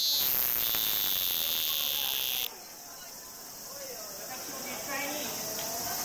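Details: Cicada singing in summer: a loud, dense, high-pitched buzzing drone that cuts off abruptly after about two and a half seconds, followed by a quieter steady shrill hum with faint background chirps.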